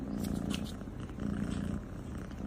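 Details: Domestic cat from a funny-cat compilation purring in a steady, low, continuous rumble for the whole stretch, with faint indoor background noise.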